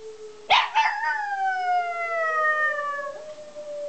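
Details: Cooper, a pet dog, howls in reaction to a tornado siren: a loud onset, then a long, wavering, slowly falling tone with rich harmonics. The siren's steady rising and falling wail runs underneath throughout.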